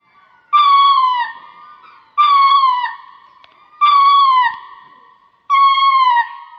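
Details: A lemur calls four times, each cry a clear, slightly wavering tone that slides downward at its end, spaced about a second and a half apart in a quiet setting.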